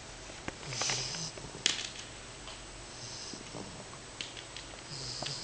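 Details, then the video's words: Sleeping English Bulldog puppy Matzoball, a 10-week-old female, breathes in three breathy snoring rasps with a hissing top, spaced a couple of seconds apart; one sharp click sounds early on. "Matzoball Snoring In Sleep (English Bulldog)"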